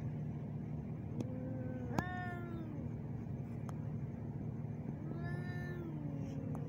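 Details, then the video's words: Two ginger male cats fighting in Al Rahmanya, Sharjah, UAE, filmed handheld on a neffos X20 camera: long, drawn-out wavering yowls, one from about one to three seconds, another rising and falling near the end, over a steady low engine-like hum. "Argument of two male cat || terrible sound"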